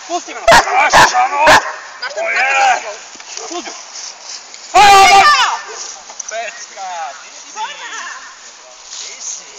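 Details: Hovawart dog Jamaica Kralovska straz: three sharp barks in quick succession near the start, then one loud, strongly harmonic bark about five seconds in, with human voices talking and softer whining sounds between them.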